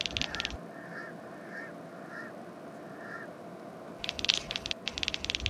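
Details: Devon Rex cat chattering on seeing crows, a rapid machine-gun-like clicking from its mouth: a short burst at the start and a longer stuttering run near the end, with crows cawing repeatedly in between.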